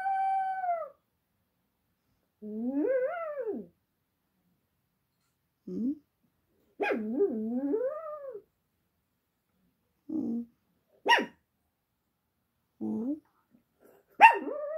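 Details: Pet dog howling in response to a passing ambulance siren: long wavering howls that rise and fall, rich in overtones, then shorter yelping rising notes with pauses between them.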